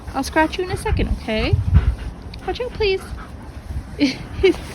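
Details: A pack of German Shepherd puppies, among them Dodger and Arial, vocal while playing together: short high yips and curving, whiny squeals in quick bursts, with a person talking over them.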